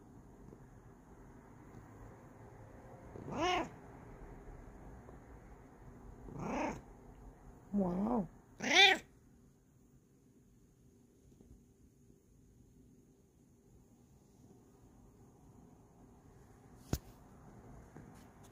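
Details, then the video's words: Bengal cat, a female, yelling out of happiness: four loud, wavering meows in quick succession, the last the strongest, then quiet with a single sharp click. "Yells When She's Happy"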